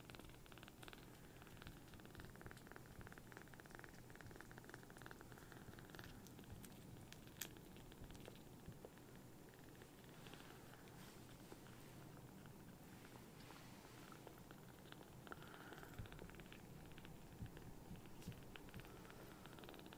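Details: Newly rescued, hand-sized baby kittens in foster care purr loudly as they seek affection. A continuous deep, even rumble runs the whole time, with soft clicks and small handling noises above it.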